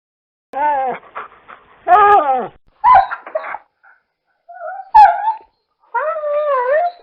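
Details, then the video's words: A dog whining and yelping, with drawn-out tonal whines that waver in pitch and short yips between them, ending on a long wavering, howl-like whimper. "LADRIDOS Y SONIDOS DEL PERRO - The dog barks and sounds-"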